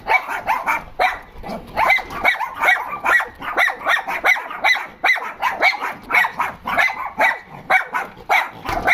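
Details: A group of dogs complaining about something, with crowded, overlapping high barks and yelps that repeat quickly and irregularly, keeping up a steady, excited clamor.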